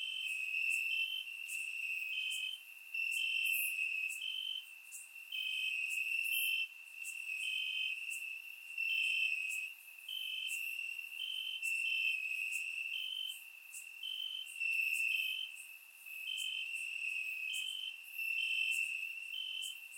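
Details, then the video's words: Crickets chirping in grass on a warm summer night in Bulgaria, captured with a surround microphone; steady high trilled bands, several insects overlapping, pulses of chirping starting and stopping every second or so, faint higher buzzing above. "Cricket Sounds - Crickets Chirping at Night"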